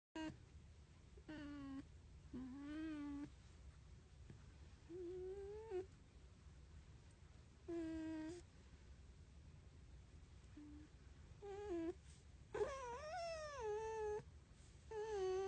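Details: A red fox being petted gives soft, wavering whines and mewing cries in short bursts, with quiet pauses between them.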